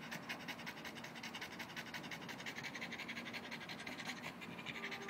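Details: After chasing an orange ball, a Boston Terrier pants to cool off: fast, slightly uneven breathy puffs, bright and hissy, close to the microphone.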